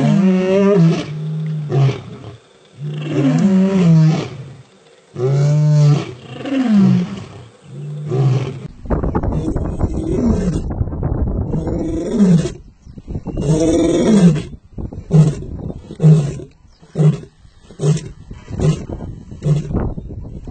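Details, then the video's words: Male lion roaring: deep, powerful moaning roars swelling and falling, followed by a series of shorter grunting roars trailing off in quick succession, with some rumbling background noise. "Powerful Roar of male lions"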